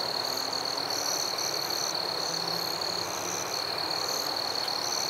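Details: Crickets in a forest at night keep up a continuous piercing trill while higher chirps pulse in short irregular bursts, several insects overlapping; one brief click near the end.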